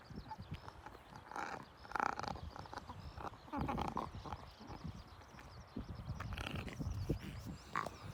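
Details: Red Shiba Inu dog with a trachea narrow since birth making pig-like snorting noises: rough, noisy bursts at irregular intervals, loudest near two and four seconds, while birds chirp faintly and repeatedly in the background.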